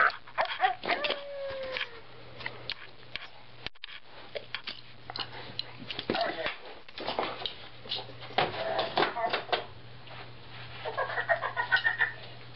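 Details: Diesel the husky playing fetch with a talking ball toy: a drawn-out, falling whine early on, then scattered short yips and scrabbling noises mixed with the toy's chattering voice.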